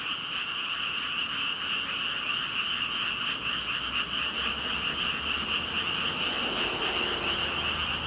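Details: Huge frog chorus of some five thousand callers, overlapping ribbit-like croaks pulsing rapidly in a constant shimmering mass, with a faint low rumble toward the end.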